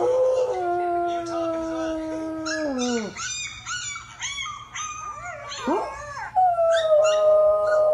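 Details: A singing dog howling: a long, steady, drawn-out tone that drops at about three seconds, then a run of shorter wavering, yelping notes, ending with another sustained howl.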